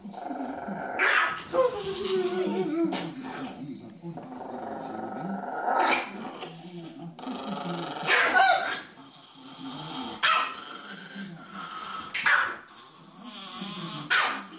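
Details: A Chihuahua snaps out sharp, high barks between rumbling growls while guarding the TV remote control; Chihuahua.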